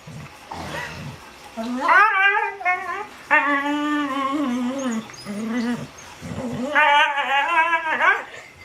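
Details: Normally silent pet dog voicing a noise like her sister's, a series of long wavering yodel-like howls, several rising and falling in pitch, interspersed with short grumbles.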